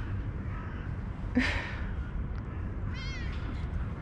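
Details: Smart orange stray cat, answering between spoken phrases with a short, high, wavering meow near the end, preceded by a brief noisy burst, over constant low rumbling background noise.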